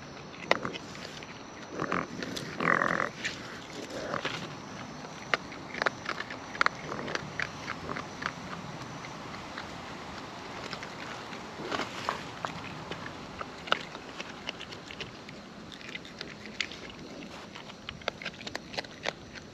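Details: Raccoons in the wild eating up close: an uneven stream of moist smacks, crunches and sharp clicks continuing through the recording, busiest early on and thinning out toward the end.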